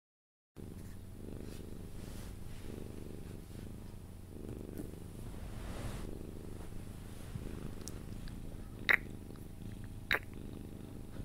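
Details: Pet Sphynx cat purring while being cuddled until it falls asleep: a steady, low rumbling purr runs throughout, broken by a few sharp kiss-like clicks near the end.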